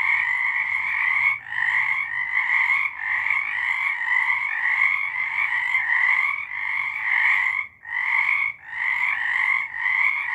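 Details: A dense frog chorus of rapid, raspy trills pulsing in overlapping bursts, recorded in March 2023.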